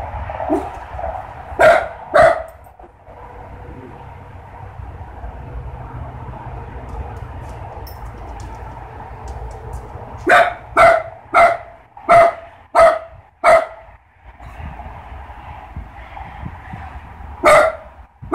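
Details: A dog, either a Great Pyrenees or a Mini Dachshund out together checking that everything is fine outside, barks in short, sharp bursts, with a quick run of barks near the end.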